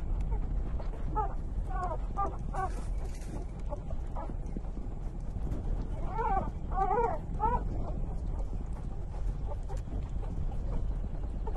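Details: Newborn puppies, three days old, nursing from their mother dog: short bursts of thin, quavering squeals, one group early on and a denser cluster past the midpoint, set against constant low-pitched background noise.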